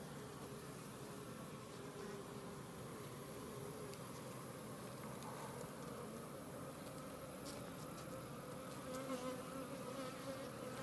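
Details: Newly emerging worker honey bees fill the air with a steady, low, overlapping buzz, a dense hive hum.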